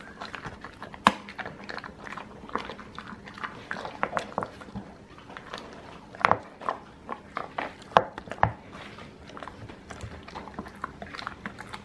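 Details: Steady gnawing as the dogs eat alligator chew treats indoors while rain keeps them in; crisp snapping bites and crunches recur irregularly, with several louder cracks scattered through.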